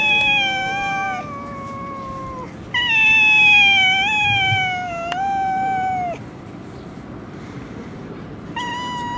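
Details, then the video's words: Fighting stray cats in a Russian city trade sustained, wavering yowls, one voice higher and one lower, notes held for several seconds and ending in downward slides, with a quieter gap before a final rising wail. "fight cats, драка котов"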